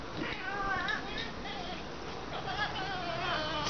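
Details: Several indoor pet cats waiting for dinner while being told to sit, with overlapping drawn-out harmonic meows that rise and fall across the stretch, mixed with a person's voice and room noise.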